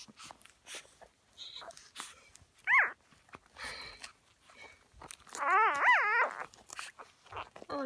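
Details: Black female Whippet puppy from a May 2016 litter complaining loudly: two short wavering whines, one brief and one longer undulating cry, amid rustling and handling noises.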